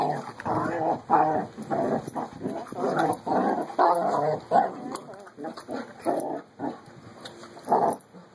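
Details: Puppy friends Carlee and Sonny at play, one growling in rapid rough snarling bursts, dense and throaty, running almost continuously with a few brief gaps, with low background hum and a voice faintly at the end.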